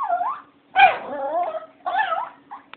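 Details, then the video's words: Jealous female dog whining and crying after a puppy got a bone she did not; a series of three long wavering, yodel-like whines followed by a brief short squeak, with a faint steady hum behind. "Foxy is ticked off because the puppy got a bone and she didn't"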